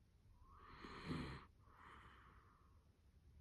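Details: A tired Dachshund from a multi-dog household sleeps with its eyes open and snores: two soft, breathy rasping breaths, the first louder with a low rumbling edge, the second fainter and longer, in a quiet room.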